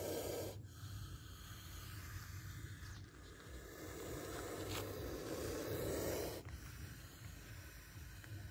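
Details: Hissing of a spectacled cobra that nearly bites someone. A short rasp opens, then a long low breathy hiss swells and fades over several seconds, ending abruptly, over faint background hum.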